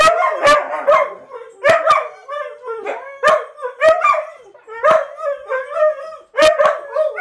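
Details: Multiple household huskies singing in bursts: short wavering howls and yips repeated roughly every second, each opening with a sharp broadband click, voices stacking into a ragged chorus.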